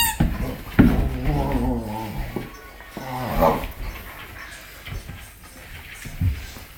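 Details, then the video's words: Griffin, a four-month-old Rhodesian Ridgeback indoors playing with a hamburger toy from his Christmas presents, gives a drawn-out harmonic whine-like groan lasting over a second, then a shorter rising one, amid rustling and thumps of play. "Ridgeback Attacking Hamburger"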